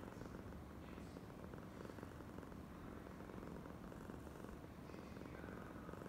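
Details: Affectionate female cat named Oyen purring nonstop, a deep buzzing rumble of fast pulses at an even loudness, with faint airy noises above it.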